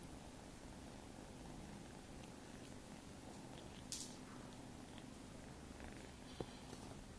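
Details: Purring from Maine Coon kittens aged nine weeks, inside a home: a low, constant, gently pulsing rumble, with two short sharp clicks or knocks partway through.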